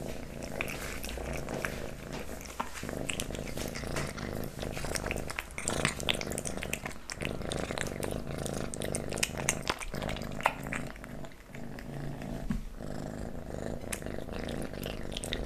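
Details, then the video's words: Close-up indoor recording of a kitten eating pate wet food, stick treats and creamy treats: continuous moist smacking and licking clicks over a constant low rumbling purr, with brief quieter pauses. "Kitten eating Pate, Stick & Creamy Treats ASMR"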